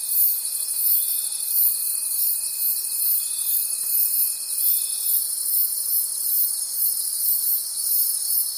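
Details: High, shimmering cricket chorus in a night forest, pulsing steadily about three times a second; a faint continuous tone underneath ends at five seconds.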